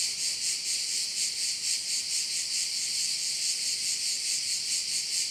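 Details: Croatian island of Korčula, bayside crickets: an unbroken piercing buzz with a rhythmic swelling beat about twice per second, clean and loud with nothing else audible.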